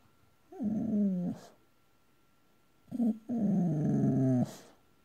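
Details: Male Boxer dog dreaming in his sleep indoors, giving two drawn-out, moaning whimper-groans, the second longer and wavering, separated by a short quiet gap.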